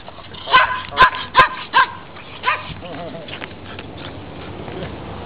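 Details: Neighbourhood dog giving a quick run of five sharp, tonal barks in under two seconds, spaced about half a second apart, then fading into quieter background noise.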